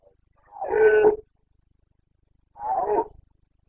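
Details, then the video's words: Carpathian red deer stag roaring during the September rut in Bucovina, 29.09.2022: two hoarse, groaning roars separated by a pause of over a second, each rough and throaty with a slight tonal core, no other sounds. "Boncănit / Carpathian stag Breeding season"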